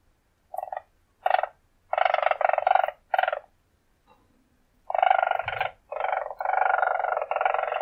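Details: Weasel uttering short chattering bursts that lengthen into longer buzzy rolls, with a pause in the middle, clean and close with little background noise.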